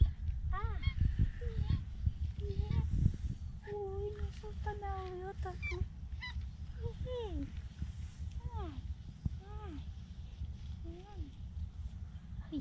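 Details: Two tabby cats on an island meowing for love and food: a long series of short and drawn-out arched meows, some falling sharply at the end, repeated irregularly, over constant low-pitched background rumble.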